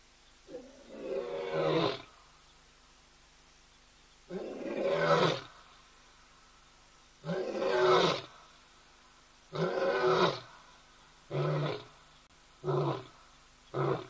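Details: Lion calling in Kenya, picked up by a hide camera at ol Donyo: a roaring bout of deep, rough, drawn-out roars, about seven blasts over fourteen seconds. They grow shorter and closer together toward the end.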